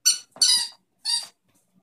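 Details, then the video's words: Romeo, a puppy playing with his toy indoors: three short, high squeaky yelps, each under half a second, followed by quiet, with a man's voice praising him just after. "Baby dog playing with a toy"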